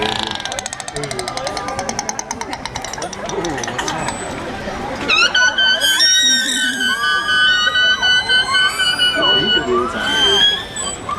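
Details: Killer whale calls at a San Diego marine show: loud, squealing tonal cries with sweeping upturns after an announcer and music. Each pod has its own dialect of calls.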